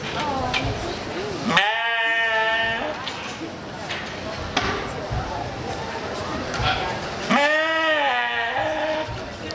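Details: Little brown sheep bleating while being sheared at Topsfield Fair: two long, wavering, nasal bleats that rise then sag, near the start and end, with a man talking and crowd chatter in between.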